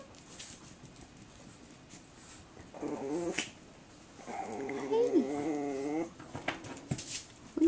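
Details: Seven-week-old Chihuahua puppies giving two bouts of high, wavering whines: a short one near three seconds, then a longer quavering whine lasting almost two seconds, with faint household noise between.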